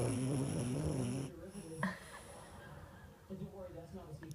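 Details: A small female French Bulldog, asleep with her tongue out, snores with a low, rumbling, buzzy drone that fades into soft breathing.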